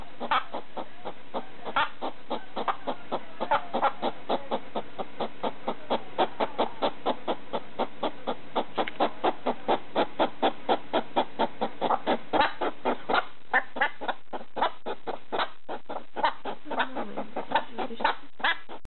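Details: Pet hedgehog barking at a slipper late at night: a long run of quick, dry, chuffing pulses, about two per second, fairly irregular and steady in loudness, with no other sounds.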